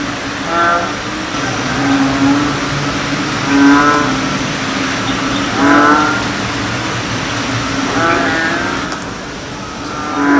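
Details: American bullfrogs sing in a nature reserve, giving deep, resonant, moo-like calls that repeat every two seconds or so, over a steady drone.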